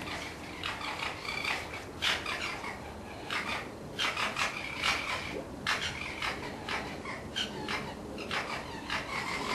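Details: Red fox cubs, orphans held in a pen before release back to the wild, make rapid bursts of harsh chattering and squeaky yelps, several per second at times, with brief pauses between flurries.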